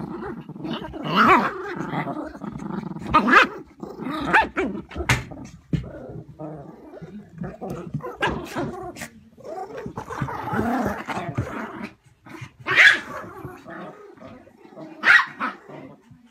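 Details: Several terriers in a house fighting over a toy in tug of war: continuous rumbling growls broken by sharp high barks and yaps, loudest bursts around thirteen and fifteen seconds.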